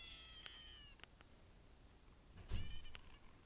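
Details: Kittens mewing softly: a thin, high-pitched descending mew at the start, then a second brief high mew near the end accompanied by a soft thump, with quiet gaps between.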